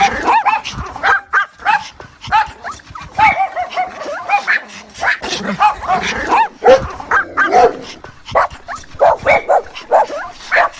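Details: A mother dog calls to her puppies with rapid, overlapping whimpers and squeaky yips, some drawn into wavering whines, repeating almost without pause for about eleven seconds.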